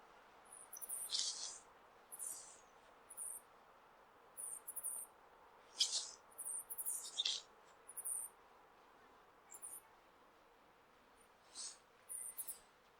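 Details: Male flying squirrel in Hokkaido calling to attract a female during breeding season: very high, thin squeaks and short downward-sweeping chirps in irregular clusters every one to two seconds, over a faint steady hiss.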